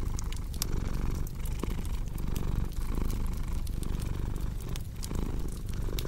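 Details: Continuous low cat purr with a rhythmic in-and-out pulse roughly every 0.7 seconds, laid over snapping, crackling fireplace sounds in a relaxing sleep recording.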